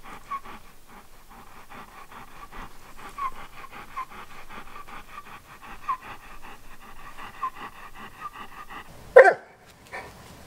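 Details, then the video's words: Old English Sheepdog named Wallace, a family pet, shown telling his owners what is on his mind: quick rhythmic panting breaths, roughly three per second, steady for about nine seconds, ending in a sudden loud thump and brief rustle. "40 Old English Sheepdog Sounds"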